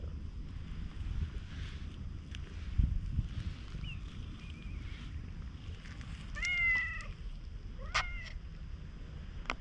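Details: Stray cat resembling a tanuki, very affectionate toward people at a campsite after rain, filmed on a GoPro HERO8: two short, bright, wavering meows late on, a fainter chirp earlier, over a steady low rumble.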